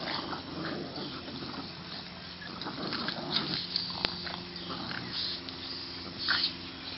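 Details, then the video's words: Boston Terriers Stella and Penny tugging at a toy in a game of tug of war, June 2013; steady throaty growling with brief harder snarls, plus clicks and rustling from the struggle. "Stella and Penny Boston Terriers ---- June 2013 ----- Tug of War"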